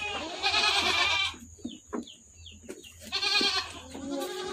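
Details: On a goat farm, a strained, quavering goat bleat opens, a quiet gap follows with scattered clicks and chirps, then a second wavering bleat returns over a low hum.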